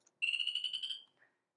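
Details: A southern chorus frog from farther south in Florida gives a short, high, buzzy trill of rapid pulses rising slightly in pitch, faster than the upland chorus frog's call.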